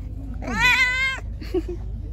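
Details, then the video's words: Hungry pregnant stray cat, angry, fed on the street before attacking: one long harmonic meow rising then falling, followed by a fainter short second meow over low rumbling background noise. "Angry poor hungry Pregnant Cat. I gave him food. Attacked me"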